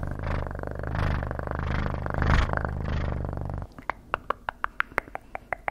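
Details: Rhythmic rumbling cat purr with rising and falling breaths for over three seconds, then a regular series of sharp taps about twice a second.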